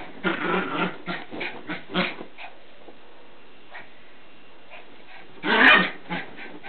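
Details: Border Terrier puppy tearing around in a mad turn: a quick series of scratchy whimpering yips over two seconds, a quiet stretch with scattered soft squeaks, then one loud harsh bark followed by a few lighter yips.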